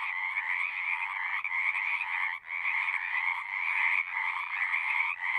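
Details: Numerous frogs singing in a horse-pasture pond, taken on a Zoom recorder: throbbing trilled croaks in two stacked bands, swelling and sagging about once a second, with a short near-silent gap midway.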